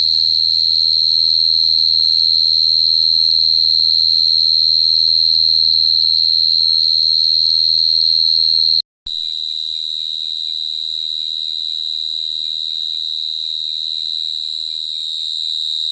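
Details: Cricket song as a steady high ringing trill for about nine seconds, then a brief silence and a second, slightly different high trill with faint ticking pulses, both held at constant pitch.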